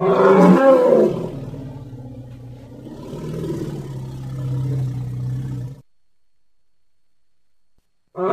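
An elephant gives a loud, harsh roar that settles into a long, deep, throaty rumble.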